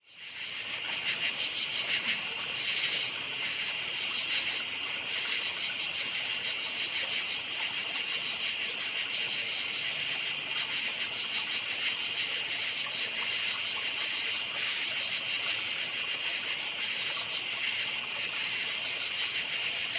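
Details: Crickets chirping at night in a forest: a dense, steady high-pitched chorus of rapid pulsed chirps that runs without pause, with a fainter buzzing layer above and no other clear sounds.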